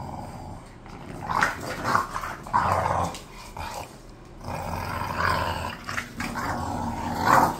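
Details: Pair of bored pet bulldogs vocalizing in rough, throaty grumbles and moans, uneven and overlapping, over a noisy indoor background.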